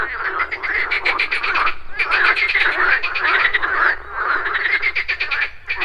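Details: Several frogs croak at a pond in the morning among buzzing insects, giving bursts of fast pulsed trills that swell and fade roughly every two seconds over a steady croaking background.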